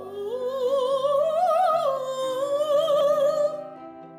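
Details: Music with a sung vocal line over held instrumental notes; no animal sound is heard.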